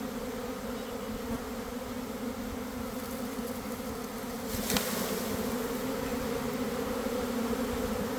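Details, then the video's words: Honey bee swarm forming in a garden at about 1 p.m., recorded from inside the developing swarm after a cold, damp week; constant deep humming drone of many bees, with a brief sharp crackle near the middle and the buzz swelling slightly afterward. "Catching a Swarm in Real Time!"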